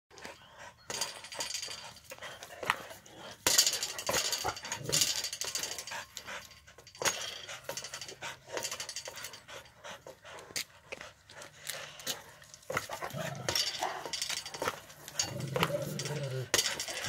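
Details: A Pitbull and a Presa Canario playing a tetherball match; heavy, breathy panting in quick noisy bursts runs through most of the recording, broken by sharp thumps and occasional human voices in the background.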